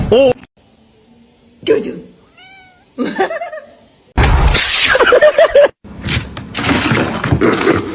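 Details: Domestic cat meowing in short, rising-and-falling bursts between abrupt cuts, mixed with loud human voices and bursts of noise.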